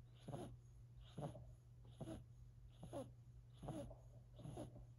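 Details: Four-month-old silver Siberian kitten Sacha snoring: regular breathy wheezes with a slight purring rasp, about five in five seconds, over a low constant hum indoors.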